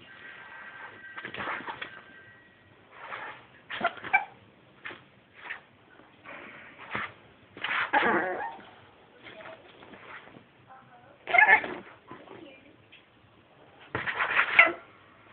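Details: One-year-old pet Chihuahua indoors, barking at a hand monster with short, soft, burp-like huffs in scattered bursts, louder ones near the end, and a person's voice faintly in between.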